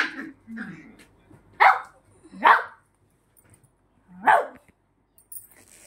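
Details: Female Shih Tzu, angry and fighting with her sister, gives low rumbling growls, then sharp, high yapping barks during the scuffle.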